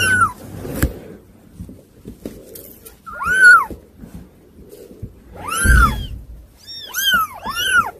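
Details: Hard-to-control kittens calling in bursts: piercing arched meows, some overlapping in quick pairs near the end, separated by quiet gaps with light knocks and handling noise.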